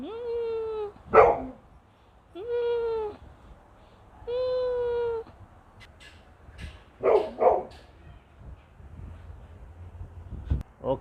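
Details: Rocki, a house dog of the breed called Gokden, barks loudly indoors. Three sustained whine-like tones each break into a sharp bark, then a pause, then further scattered barks near the end.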